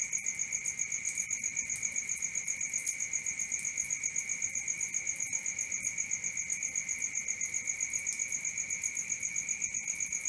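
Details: Crickets at night, a continuous chirping chorus: a steady high band with a fainter lower tone, pulsing about four times a second with even rhythm, no other clear sounds.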